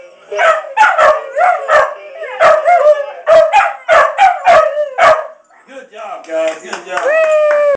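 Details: Two pet dogs singing with choppy, pulsing howls and yips for five seconds. After a brief lower murmur comes a long, steady, rising and held howl at the end.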